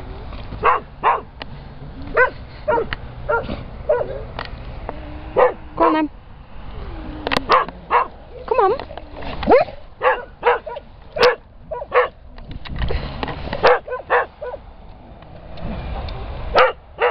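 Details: Springer Spaniels in rescue kennels barking, with sharp, loud barks repeated rapidly and unevenly, about twenty in a row, mixed with a few high whining yelps. Kennel clatter sounds in the background, and a man speaks briefly.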